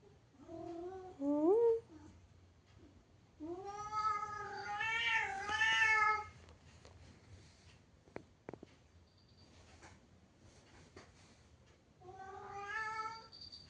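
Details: Domestic cat meowing indoors: a short rising meow, then a long wavering, strongly harmonic yowl lasting about three seconds, and after a quiet pause with a few sharp clicks, one final shorter meow.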